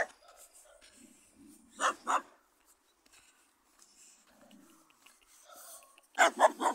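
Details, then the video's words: A barking dog met on the way: two quick sharp barks, then a long stretch of quiet with faint sounds, ending in a loud cluster of rapid barks. "Spotkanie psa który szczeka cz.2"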